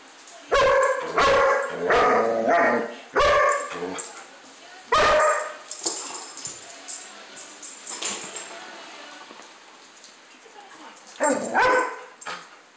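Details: Playing German Shepherd barking in a loose series of six loud, ringing barks over the first five seconds, then a quieter stretch of rustling and faint voices before one last pair of barks near the end.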